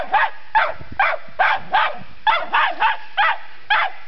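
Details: Cairn Terrier barking persistently at a dead polecat, unsure it is dead; steady series of short sharp barks, roughly two per second, about nine in total, each bark clipped and evenly loud.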